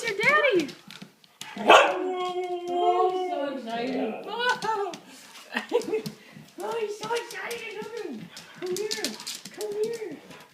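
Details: A Siberian Husky greets its owner, a Marine coming home from training on 24 December 2012, with excited, wavering howls and whines.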